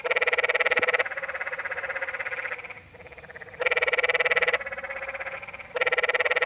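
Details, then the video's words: At Many Pools Trail, Zion National Park, Utah, a close Canyon tree frog gives loud, grating pulsed trills of about one second, repeated roughly every two to three seconds, while quieter frogs trill between them. "Sounds of The Canyon Tree Frog"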